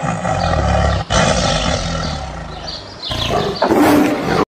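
A tiger gives deep, rumbling roars in throaty bursts, broken by brief pauses.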